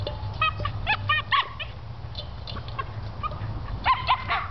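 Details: Hobbes, a Cairn Terrier obsessed with his water pan, gives short harmonic barks and yips in uneven bursts while playing with it, over a steady low hum.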